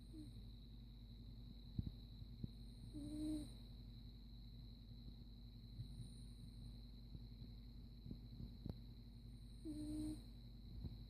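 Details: Caligula, a domestic cat, snores while asleep: two short, soft whistled tones with a faint higher overtone, about seven seconds apart over a steady low hum, with occasional faint clicks.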